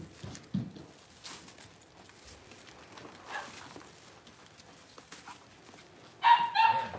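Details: Six-week-old Cavalier King Charles Spaniel puppies in a puppy pen, being dewormed and having their toenails trimmed; quiet rustling and handling clicks, then a sudden loud, high, wavering puppy whine near the end.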